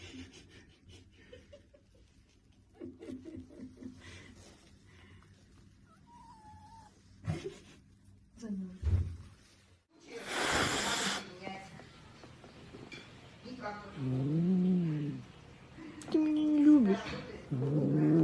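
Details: Baby cats in a cute home compilation; after soft taps and a loud rushing burst, drawn-out arching meows rise and fall, then a final strained, high meow with a faint human voice in the background.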